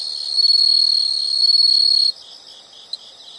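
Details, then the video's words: Insects in nature: a loud, sustained high-pitched trill for about two seconds that stops abruptly, leaving a faint chorus of other insects and one brief tick. "the sound of insects"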